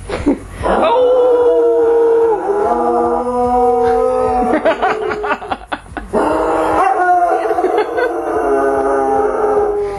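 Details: Spock the dog howling along with a person imitating a wolf, long sustained tonal howls sliding slightly downward, a brief pause with rapid pulsed sounds near the middle, then another rising and falling howl; the dog also howls at distant sirens.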